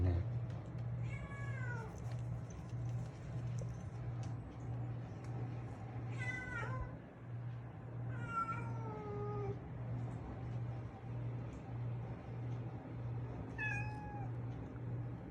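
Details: Pet orange-and-white female cat, about four years old, greeting its owner arriving home, giving four falling, drawn-out meows spaced a few seconds apart over a steady low indoor hum.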